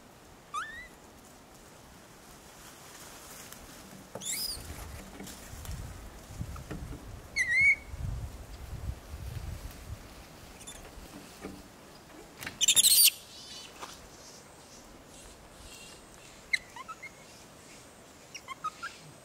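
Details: Wild Japanese macaques in summer give a few short tonal calls, each rising and then falling, spaced several seconds apart. Rustling and handling noise sound between them, with a brief loud burst near the middle.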